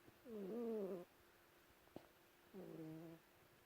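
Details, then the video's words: Sleeping house cat Lulu, tucked under a white blanket in Perth, Western Australia, gives two loud, wavering, whistly snores, the first swelling and falling, the second flatter, with a soft tap between. "Lulu snoring"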